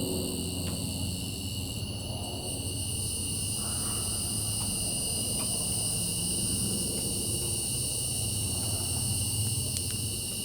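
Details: Nighttime cicada chorus, continuous shrill layered buzzing that holds level for the whole stretch; a few faint brief clicks and a low droning rumble sit beneath it.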